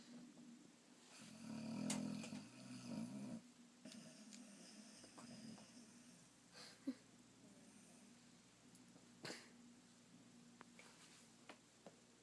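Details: Sleeping Boxer snoring: a couple of short, buzzy snorts in the first few seconds, followed by softer breathing with scattered faint clicks and small background noises.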